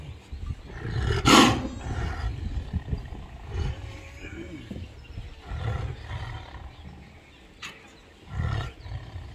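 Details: Two tigers fighting in Ranthambhore National Park, Sawai Madhopur, India, giving rough, throaty roars and snarls in bursts, a loud harsh outburst early on, with voices of onlookers faintly in the background.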